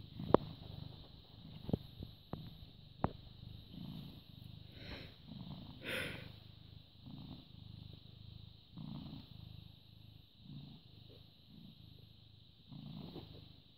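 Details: Low, pulsing purr from a British Shorthair cat born 18 August 2010, recorded 14 May 2017 at 09:16. The rumbles swell in repeated bursts every second or two, broken by sharp clicks and brief rustling near the start.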